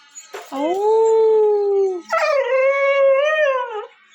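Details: Pet dog, said to have learned to 'talk', kept tied up, giving two drawn-out tonal howl-like moans: the first steady then falling, the second rising and wavering, with rich harmonics and brief pauses between.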